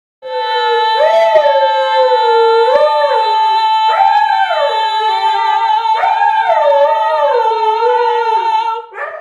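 A Siberian Husky howls in long, wavering rising-and-falling tones over a steady held note.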